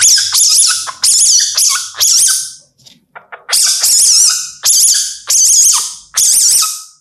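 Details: An Indian palm civet calling at night in India gives a series of shrill, high-pitched squealing bursts, each about half a second long, eight in seven seconds, with a short pause midway. No other sounds intrude.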